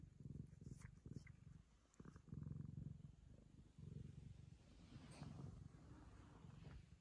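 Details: Low, steady purring from a Ragamuffin cat while it licks the owner's daughter in affection, coming in phrases with short pauses and faint scratchy higher sounds over the top.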